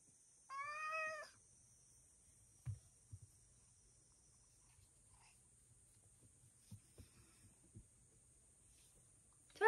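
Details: Male rescued cat indoors in the morning, just stopped from scratching a paper sliding door: one clear, drawn-out meow with rich harmonics near the start, followed by quiet taps and footsteps, a steady high electronic whine, and a woman's voice at the end.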